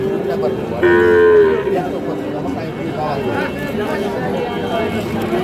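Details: Sahiwal bull calves at Ambari cattle market, Parbatipur, Dinajpur, Bangladesh, in late March: one short harmonic moo lasting under a second rises over steady crowd chatter and bargaining voices.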